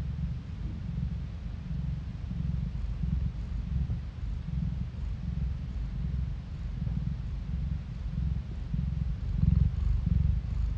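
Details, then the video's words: Cat purring, the Korean 골골송 or purr song, recorded on a phone: a continuous low rumbling throb with steady pulsing and slight swells in loudness, no talking or other sounds. "고양이 골골송 asmr No talking asmr cat purring"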